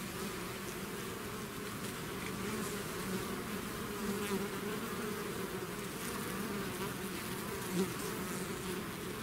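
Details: A swarm of honey bees out of its hive makes a dense, steady drone of many bees buzzing together.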